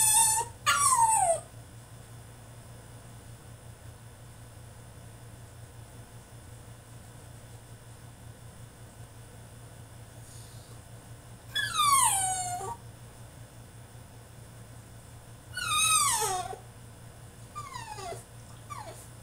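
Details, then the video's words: French Bulldog throwing a tantrum in his cage: a few loud, high whining cries with falling pitch, spaced by long quiet gaps, at the start, near twelve seconds and near sixteen seconds, over a steady low hum. "FRENCH BULLDOG THROWS TANTRUM IN HIS CAGE!!"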